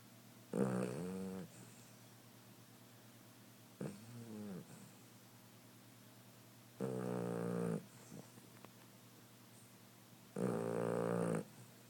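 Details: Sleeping cat snoring loudly; rough, droning breaths with stacked harmonics, each lasting about a second and recurring every three seconds or so in a quiet room.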